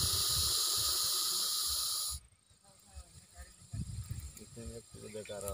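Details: Russell's viper, a venomous snake, in a village: a loud, steady, breathy hiss with hard-edged bands for about two seconds, then it stops abruptly, followed by quiet human voices.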